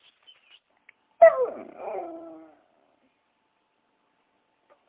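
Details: Dog giving a single drawn-out whining yelp that starts sharp and trails off in a wavering whimper over about a second, with faint clicks before it.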